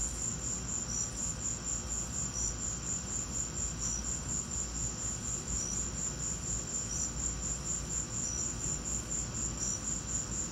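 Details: Crickets chirping during a lightning storm: steady, high, evenly spaced chirps about twice a second, with a constant low rumbling hiss beneath.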